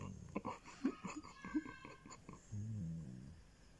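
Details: A Basset Hound lets out deep, wavering groans that rise slightly and sag as he powers down, contented pleasure sounds while being petted, after human speech and laughter in a small indoor room.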